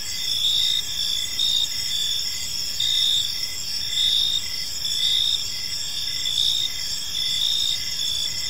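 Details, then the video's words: Crickets chirping on an evening in a park, a steady high-pitched chorus with pulsed trills repeating roughly once a second over a continuous insect hum and faint low background noise. "Park Serenade: Cricket Sounds in a Peaceful Park | Evening Ambience"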